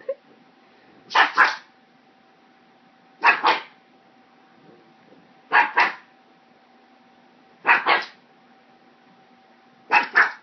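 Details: Lola the pug, scared of a hair clip, barks at it: five sharp doubled barks, each a quick two-part yap, spaced about two seconds apart over a steady low hum.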